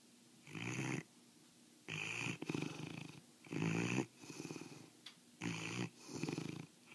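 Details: Sleeping mastiff Osa, in foster care, snores steadily: rough, gravelly exhalations about every two seconds, each followed by a quieter, fluttering breath, with low rattling throughout.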